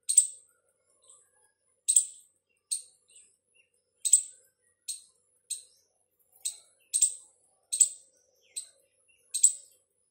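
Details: Squirrel calling, reportedly to its partner: a run of about a dozen shrill, clipped chirps, some doubled, repeated roughly every second with no other clear sounds.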